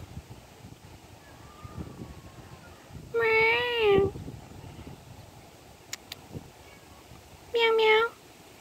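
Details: Unhappy feral cat approached at Savannah Mall on May 15th 2023, giving two long, drawn-out harmonic meows about four seconds apart, each bending slightly downward at the end, over low background hum and faint clicks.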